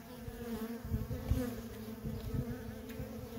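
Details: Dense buzzing of worker honey bees in nonstop traffic at a feral colony, a rich layered hum with bees zipping close by in quick bursts.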